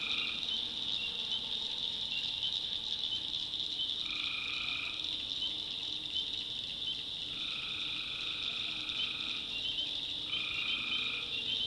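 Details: Backwoods North Carolina swamp at night, tree frogs calling: a constant high trilling chorus, with three clear lower drawn-out calls of about a second each at roughly three-second intervals.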